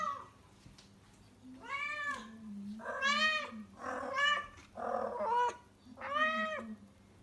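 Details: A rescued female house cat in heat, in Tendo, Yamagata, Japan, calls loudly indoors before her spay surgery. She gives a run of drawn-out, wavering meows, five in about seven seconds, some rising and then falling.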